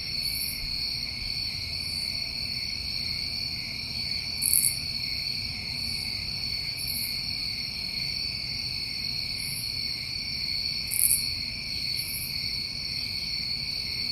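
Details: New England crickets on a summer night make a continuous high trilling drone in layered bands, while short, very high insect bursts come and go every few seconds over faint low background noise.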